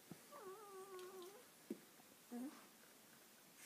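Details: Bracco Italiano named Luna giving a drawn-out whine with a slight waver, followed by a short click and a brief higher yelp near the end, in a quiet indoor room.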